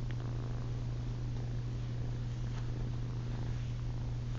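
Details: Ollie, a female kitten, purring at night while trying to nurse on a person's chin indoors; a steady, low, continuous rumble holds without a break through the whole stretch, with no voices or other sounds over it.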